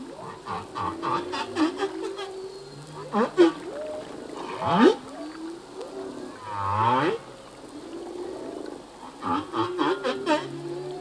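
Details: Song of a male humpback whale, possibly to attract a mate or defend territory: rapid clicking pulse trains, low groans and rising swoops, with a drawn-out buzzing moan midway and more pulsed bursts at the close.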